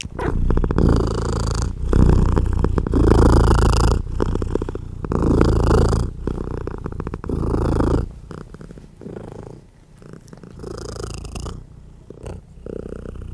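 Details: Loud, steady purr from a mother cat feeding her baby kittens while trying to rest; low throbbing rumble in breath-long waves about every second, softening toward the end with faint rustling.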